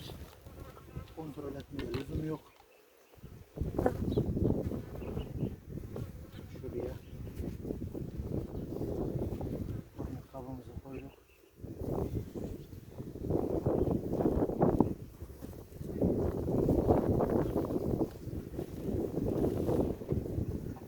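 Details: Worker honey bees swarm around an opened hive while a beekeeper checks the queen after the honey harvest in Ceyhan; a dense, droning hum swells and fades in waves, broken by short pauses and occasional talking.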